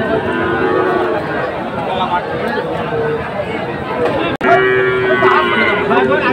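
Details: At a Dhaka cattle market on 12 August 2024, Friesian and crossbred heifer calves give flat, sustained moos beneath heavy crowd chatter, with a brief click in the middle.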